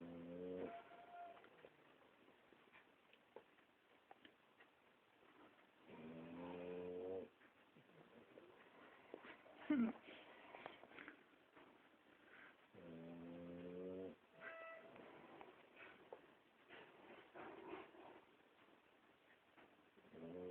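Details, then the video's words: Boxer dog snoring: tonal, whining snores about a second long recur every several seconds, with soft shuffling and faint breathing noises between them. "Dog boxer snoring"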